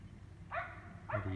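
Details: Distant neighbour's dog roughly 400 feet off, barking at night in Emmett, Gem County, Idaho, on 14 April 2020; two clear sharp barks about half a second apart, then a man's voice begins low over a steady hum.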